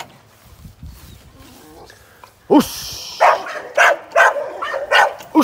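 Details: American Staffordshire Terrier, a young sporting dog in training, stays quiet at first with faint background noise, then gives a sudden yelp followed by a run of five spaced, sharp barks.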